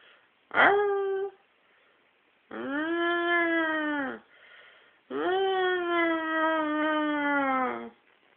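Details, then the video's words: Dog "singing": a short yelp-like upward swoop, then two long howls of roughly two and three seconds that arch up and slowly fall, each rich in overtones, with quiet gaps between. "singing dog"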